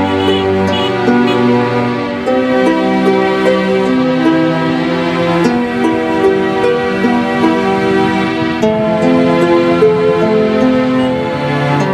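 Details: Loud, soft-toned new-age instrumental music with slow melodic lines throughout, and no goat bleats or other animal sounds.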